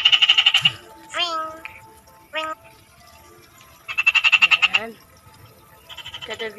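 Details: Frogs calling in two strong bursts of fast rattling pulses, interspersed with sliding, voice-like tonal sounds and a low hum underneath.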